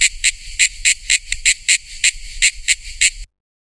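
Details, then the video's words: A cicada (tonggeret) gives a run of harsh, high, buzzy pulses, about four a second and slightly uneven in spacing, then stops abruptly. "SUARA TONGGERET"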